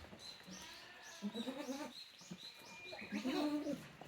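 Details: Tokara goat kids, a female and two siblings, at Yoshigake goat farm in Japan on 2 May 2024; two nasal, level bleats about two seconds apart, with high chirping sounds above and soft farm background.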